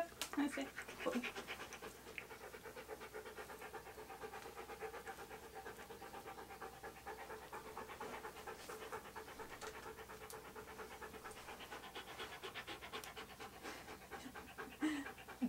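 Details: Key, a Siberian Husky, during a photoshoot where he poses wearing hats and other clothing. Fast, even breathy pants repeat about a hundred times a minute across the whole stretch, with brief voices at the start and end.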